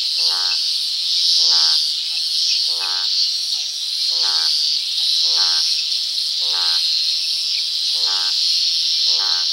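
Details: Croaking toads at nightfall in a rural setting, giving eight rasping, pulsed croaks about every 1.2 seconds, while a constant shrill buzz of insects fills the background.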